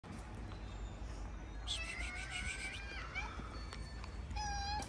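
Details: Stray cat in Morocco that never lets a calico cat near him gives one drawn-out, harmonic-rich meow lasting over a second, then a brief higher meow near the end, over a steady low outdoor rumble.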